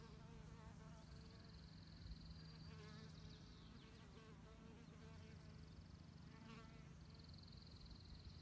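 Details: Female mason bees mining mud for their nests give a low, steady droning buzz throughout, with thin high whistled tones drifting in at intervals and faint background rustle.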